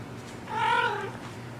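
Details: Two Maine Coon kittens playing indoors; one gives a single drawn-out, slightly falling meow lasting about half a second over a low steady background hum.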